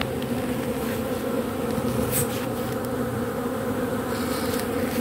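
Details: Constant buzzing drone from a robber bee gathering propolis off matchsticks, smooth and unwavering in pitch, with a faint tick or two in the background.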